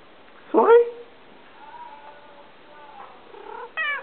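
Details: Souris, a half-Siamese mixed-breed cat, meows indoors: one loud, bending meow, then faint tonal sounds, and a second sharp, rising meow at the end.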